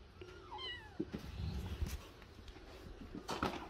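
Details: House cat letting out one brief, thin meow that bends upward then falls, heard faintly against steady indoor background noise with scattered rustles and knocks.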